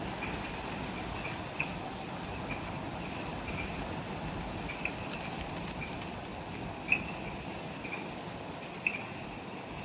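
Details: Twilight insect chorus just after sunset in the forest at the Mount Omoto trailhead, Ishigaki Island, Okinawa, Japan: continuous high pulsed trilling in layered bands, with occasional sharp clicks standing out over a soft background hiss.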